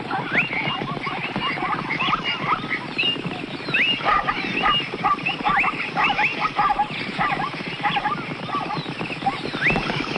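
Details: Zebras filmed on the plains of Africa; a dense run of short, harsh, harmonic barking yelps from several animals, overlapping almost continuously and rising and falling in quick bursts against a steady outdoor background.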